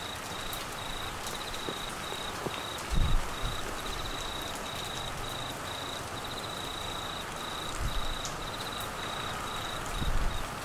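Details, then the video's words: Cricket trill, high and evenly pulsed, sounding steadily through Australian monsoon rain in flooded Queensland, partly masked by rain noise, with occasional heavier drops and low thumps. "Crickets and rain Sounds"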